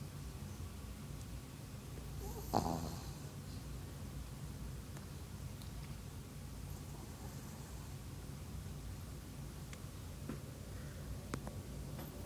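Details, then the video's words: China, a pet dog, snoring again while asleep: a steady low rumbling breath sound runs through, with a brief louder rustle near the third second and faint scattered clicks in a quiet room. "Snoring Dog"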